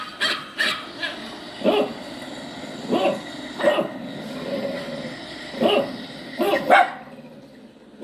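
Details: Poodle puppy crying, a yowling sound: short separate yelping bursts at irregular gaps over about eight seconds, with quiet stretches between.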